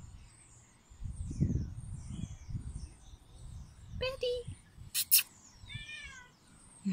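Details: A male Bengal cat, watching from a window, gives a few short, rising-then-falling meows while a pair of magpies in a nearby sycamore scold him with harsh chatter, amid a person's soothing talk.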